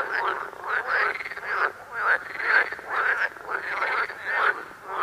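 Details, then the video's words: Frogs among yellow lilies croak in rough, grating bursts, repeated about twice a second. "Croaking frogs in yellow lilies"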